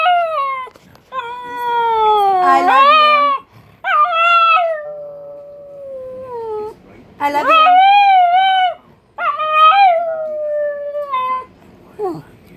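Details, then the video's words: A Pug and Boston terrier mix with a touch of beagle giving a howling vocalisation that sounds like "I love you"; long, clear, wavering howls with rising and falling inflections in several bursts, the owner repeating "I love you" in between. "Pug says "I love you""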